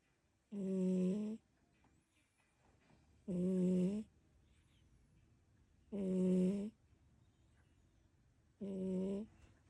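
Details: Kiki, a brown tabby pet cat, suddenly snoring while asleep indoors: four steady, low, rumbling snores, about one every two and a half seconds, each drawn out for nearly a second, with a quiet room between.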